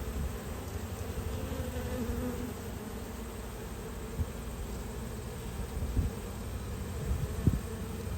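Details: Honey bees at close range during a hive inspection on 19 March 2022, a steady low droning hum filling the whole stretch, with a faint higher buzzing band above it and a few soft knocks and taps near the end.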